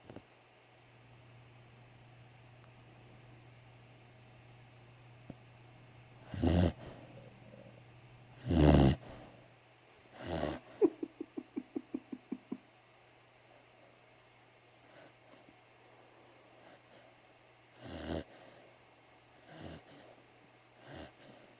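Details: Three-month-old puppy snoring asleep on a couch indoors: soft breathy snores at irregular intervals, one run of quick fluttering snorts, over a steady low household hum.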